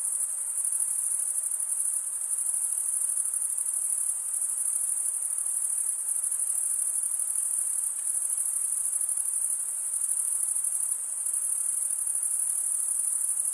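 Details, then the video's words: A summer-night forest chorus of crickets, an unbroken shrill ringing trill from many callers, slightly wavering in intensity, with a faint soft hiss beneath and nothing else distinct. "Pure cricket music for 20 min"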